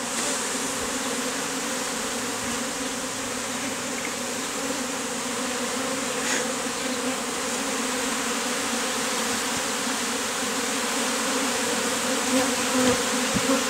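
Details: Honey bees massed into a bee beard on a man in the heat, the same bees removed from a statue; a continuous, unbroken droning hum, steady and low with a faint overtone, fills the whole stretch with no voices.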